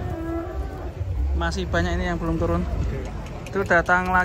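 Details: A group of big, unusual cattle coming down off a truck; a sustained low moo lasting about a second, then a shorter harmonic call near the end, over a background of people talking and engine hum.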